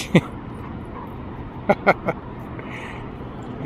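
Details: Domino, a Dalmatian, wrestling with a small fluffy dog at the City of Orange dog park; one short sharp bark, then a quick burst of three clipped barks about a second and a half later, over outdoor rumble and human voices.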